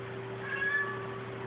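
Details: Indoors, the house cat Krystal meows at the TV without apparent cause; one brief, thin, even-pitched meow rising slightly in loudness, set against a persistent low hum.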